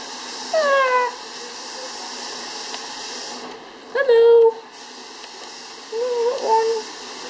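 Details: Five-week-old Cavalier King Charles Spaniel puppies give three short, high, whining squeals, each under a second, the middle one sharply bent and strained, over a steady background hiss.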